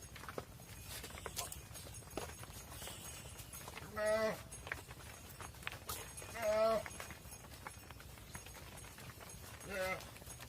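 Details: Mother cows calling as they enter a barn while their calves stay outside; three loud, drawn-out harmonic moos around four, six and a half and ten seconds over steady low barn rumble and scattered clicks.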